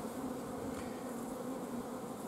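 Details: Honey bees filmed at the apiary on 14 June 2016, colony starved of forage so the queen is blocked from laying; an unbroken, mid-low droning hum of many bees swells slightly at the start.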